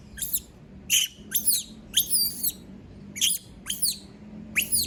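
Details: A monkey, a female left by herself, screams in shrill, high squeals. The short, downward-swooping cries come in uneven bunches with gaps between them, over a quiet low background hum.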